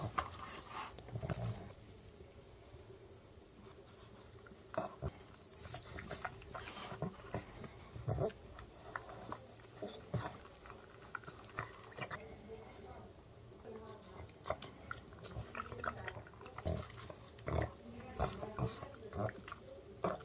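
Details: Indoor male pug munching oven-baked chicken made for dogs, early summer; steady wet chewing and crunching bites in uneven bursts, low thumps underneath, while a woman repeatedly tells the dog to wait and sit in Korean.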